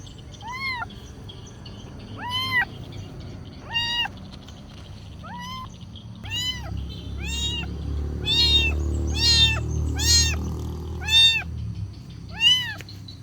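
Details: Kitten meowing while asking for food: short arched meows, first spaced about every one and a half seconds, then quicker and more overlapping toward the end, over a low background rumble.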